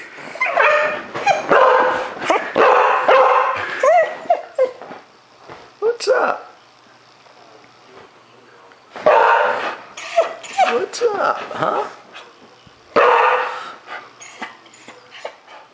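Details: Dog woken at night by a cat sitting outside his window, angry at it sneaking into his yard; bursts of harsh barking and growly yelps in three bouts with quiet gaps, a man speaking between them.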